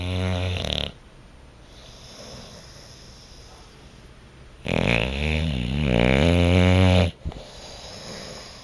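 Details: Bluto the Bulldog sleeping and dreaming on a couch indoors, snoring in loud rattling bursts: a short snore at the start, a quiet pause, then a long harsh wavering snore lasting over two seconds.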